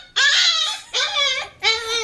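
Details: Puppy indoors giving three high, whiny yelps, each bending upward then sliding down, the first drawn out and the next two shorter, spaced about three-quarters of a second apart in a quiet room.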